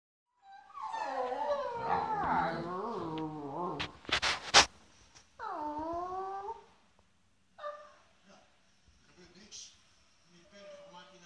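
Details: Tubbie, an eleven-year-old Schapendoes indoors, gives long wavering high whines that slide and bend, then a falling whine after a short clatter, followed by fainter broken whimpers.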